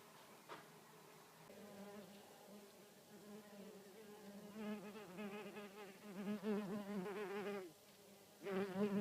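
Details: Red mason bee buzzing: a low, droning hum rich in harmonics, steady and soft at first, then swelling into louder pulsing bursts of wingbeat noise, breaking off briefly before one final loud burst near the end.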